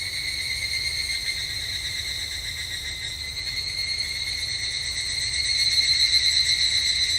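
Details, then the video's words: Summer evening temple grounds in Japan with an evening cicada singing: a continuous high, metallic ringing with rhythmic pulsing that grows louder toward the end, over a soft low background rumble. "日本の夏～お寺とひぐらしの鳴き声Japanese Summer Temple and Evening Cicada"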